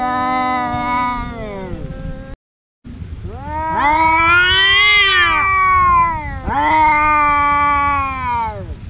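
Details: Domestic cats, two brothers, yowling during a fight: sustained, rich harmonic wails that rise and fall in pitch, overlapping and swelling loudly, broken by a brief silent cut near the start.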